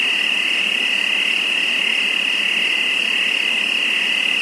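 Crickets chirp in a steady, high-pitched, continuous trill at nightfall.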